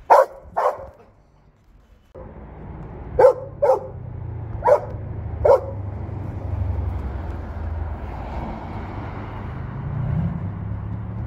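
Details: A Belgian Malinois barking at work: two sharp barks, a pause, then four evenly spaced loud barks over steady engine-like rumble and low vehicle noise.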